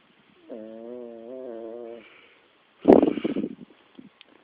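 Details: Snoring Shih Tzu puppy of five months, asleep: a clear, steady whistling tone lasting about a second and a half, then a loud, rough, rattling snort.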